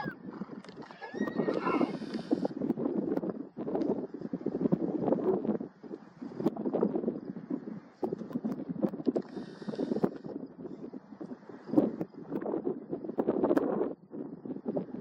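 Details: Wild Garrano stallions, dominant males, fighting and measuring strength in Serra do Suído, Galicia, in July 2024. Rough, harsh squeals and snorts run in dense bursts of several seconds, broken by short pauses, with a brief higher whinny early on.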